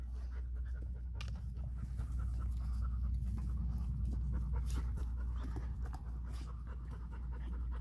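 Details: A 71-day-old female Vizsla puppy at play with her patient great uncle, an adult dog. She pants rapidly at roughly four breaths a second, less evenly, over a constant low droning hum.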